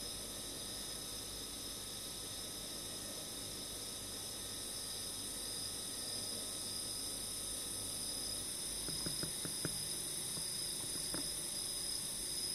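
Emma field cricket singing, a steady high shrill drone with a few sharp clicks near the end.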